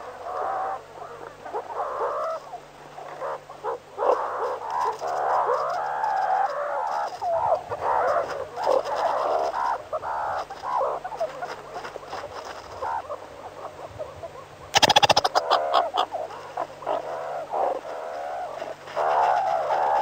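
Meerkats chatter in a steady stream of squeaky, overlapping peeps and chirps.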